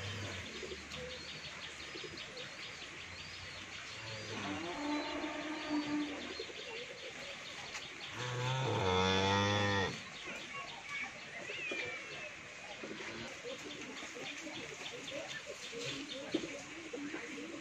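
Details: Sixteen-month-old original Friesian heifer on a dairy farm in Pabna, Bangladesh, lows twice: a faint, drawn-out moo, then a louder, wavering moo near the middle, with small birds chirping throughout the background.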